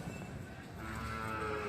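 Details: Jafarabadi buffalo bull, a Boori and Jafarabadi mix, at the Sunday buffalo market in Erragadda; a low, drawn-out moo with steady harmonics swells near the end over crowd and market background noise.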